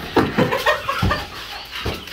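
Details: Blue Staffordshire bull terrier, male, in a rush on his way to stud with a female; short, harmonic, yelping bursts come in quick succession, then pause, then one more strong burst near the end.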